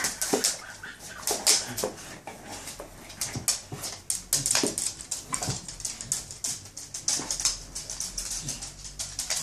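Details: A Staffordshire Bull Terrier, mad about bubbles, gives quick, sharp barks and yips in rapid bursts while playing with bubbles.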